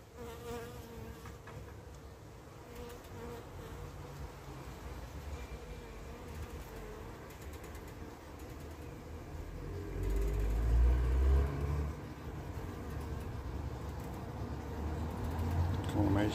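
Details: Carniolan honey bee queen returning to the hive after a three-to-five-minute orientation flight; low steady wing buzz with fluctuating hum, louder around the middle as she nears the entrance, faint tonal hums above.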